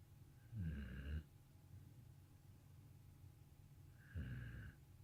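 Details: Stella and Moose, two dogs, snoring: two low rumbling snores about three seconds apart, each lasting around half a second, with a faint hissing overtone, in a quiet room.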